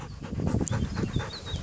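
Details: Belgian Malinois dog panting during fetch training meant to help it overcome fear; quick, rhythmic breathy huffs, about four per second, low and noisy, with no other clear sounds.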